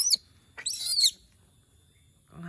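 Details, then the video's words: Pet monkey said to be calling because it misses humans: two sharp, very high screeching bursts, the second longer and wavering, separated by a short silence, with a faint voice at the end. "the sound of monkeys when they miss humans/suara monyet ketika lagi kangen manusia"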